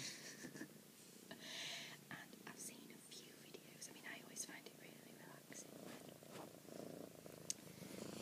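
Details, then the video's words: Female kitten purring indoors, camera shy and moving in and out of view; a soft, steady, pulsing rumble runs through the clip beneath close whispered speech and small handling clicks. "soft kitten purrs"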